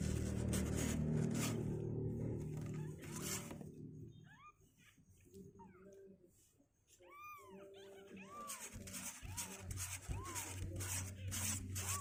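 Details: Two-week-old kittens climbing out of their box on day 16; loud music at first, then a quieter stretch with a run of high, arched mews, several in quick succession, before the music swells again.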